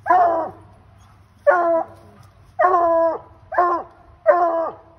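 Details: Ol Blue, a Bluetick Coonhound, bays loudly with a raccoon up a tree. Five harmonic bawls arrive in five seconds, some long and held, others clipped, each ending in a falling tail.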